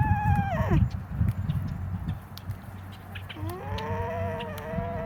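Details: An alpaca (Vicugna pacos) gives two tonal, humming calls, the first sliding down and the second slowly rising.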